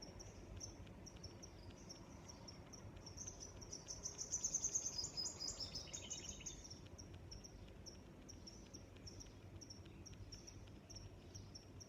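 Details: Crickets chirping outdoors with high, rapid pulsed chirps; midway a louder, faster buzzing trill swells for about two seconds then fades, before the steady chirping resumes over soft background noise.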